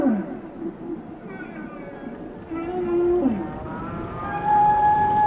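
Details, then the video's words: Whale song with short gliding moans and a steady high tonal note near the end, layered harmonics over a constant watery hiss; calls slur upward and downward at irregular moments. "Song of the Whales"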